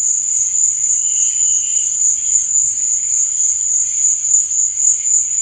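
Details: Nocturnal cricket chirping: one unbroken, piercing high trill, with a brief lower buzzing phrase early on and a soft low murmur in the background.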